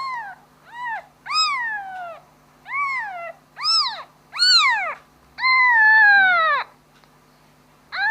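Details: Kitten calling for its mother with seven loud, arched meows, the later ones longer, the sixth a drawn-out falling wail over a second long, separated by short pauses, with a faint steady hum underneath.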